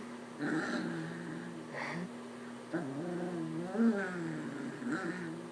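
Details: Playful pet puppy indoors growling and grumbling at its owner during a slapping game: low, wavering, moaning growls in short bouts, with the owner's voice talking in between and a steady background hum.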